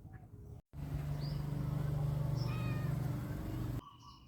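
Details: Thai cat outdoors in Lamphun, Thailand, on a morning after rain the night before; a steady low pulsing rumble lasting about three seconds, with faint thin chirps from birds above it.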